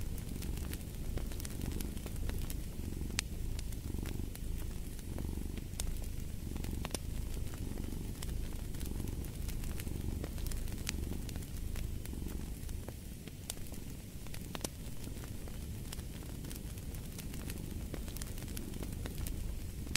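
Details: Cat purring steadily for twenty seconds, a soft low rumble in gentle rhythmic swells, accompanied by the crackling and popping of a fire burning in a fireplace.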